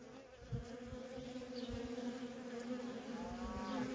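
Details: Continuous hum of worker honey bees moving in and out of a feral colony, a steady mid-low droning tone that slowly grows louder toward the end, with faint flickers of passing individual bees.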